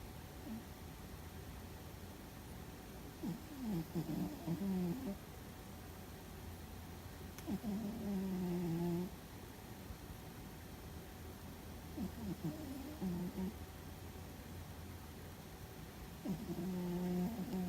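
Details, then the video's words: A sleeping house cat named Fuzzy, snoring while dreaming: low, rasping snores with faint harmonics, four breaths spaced roughly four seconds apart, over a steady low background hum indoors. "Fuzzy and His Loud Snore"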